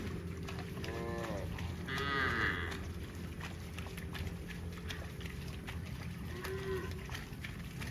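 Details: Mooing cows running in the fields: a wavering harmonic moo followed by a brighter, strained call, then a short faint moo later, with a dense background of trampling hooves and rural noise.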